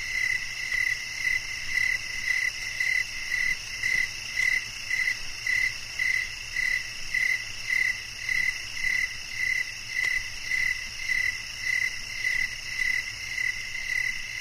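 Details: A cricket calls in a sleep-aid nature recording, giving evenly spaced short chirps roughly every half second above a constant layered background of high insect buzzing.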